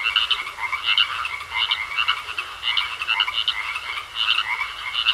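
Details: Several frogs croak together in a pond, throwing out clusters of quick, rattly pulses in waves every second or so, with a steady thin tone beneath.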